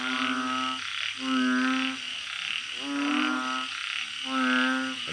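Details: Balloon frogs calling at night in a backyard garden kept like their natural habitat: steady droning moans, about one second each, given in quick overlapping succession that forms a continuous chorus.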